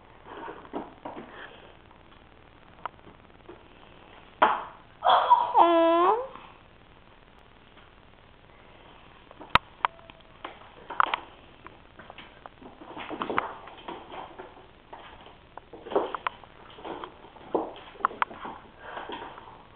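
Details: Baby kitten giving a drawn-out wavering meow near the middle, surrounded by soft clicks, thumps and faint indoor voices.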